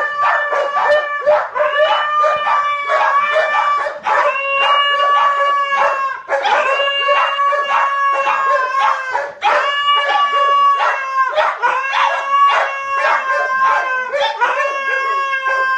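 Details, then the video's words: Three dogs, a white husky among them, compete to howl loudest: overlapping long sustained howls with rich harmonics, rising and falling, broken by short yips and barks, with voices swapping in and out nearly continuously. "Trio of dogs engage in extreme howling contest"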